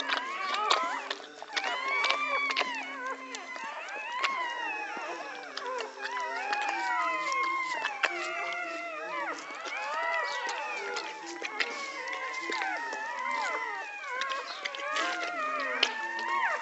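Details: American Pit Bull Terrier dogs during a birth in Egypt: many overlapping high, wavering whines and squeals rising and falling in pitch, filling the whole stretch without pause.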